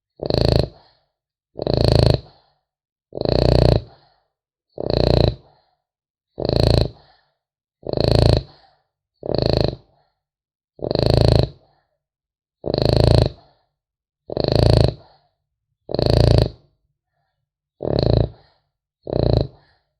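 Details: French Bulldog puppy asleep, producing a long run of twelve harsh, rasping snores at a quick, fairly even pace, one every one and a half seconds, the last two slightly softer, in a quiet room.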